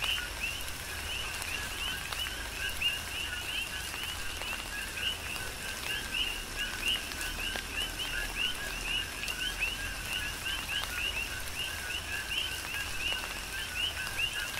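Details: A chorus of coqui frogs on Hawaii's Big Island in tropical rain, with dense overlapping rising chirps above a steady lower tone. Continuous rainfall hiss and scattered drop impacts run throughout.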